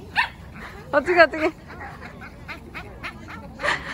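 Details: Excited Boston Terrier at a playground whining on seeing its favourite large, squishy, bouncy ball and wanting it kicked; short high yelping whines in a cluster near the start, with human talk alongside.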